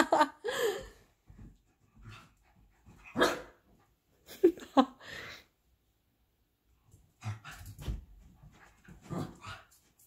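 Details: A pet dog wanting attention while playing gives sharp barks in irregular bursts, with a quiet stretch midway, as people talk and laugh nearby.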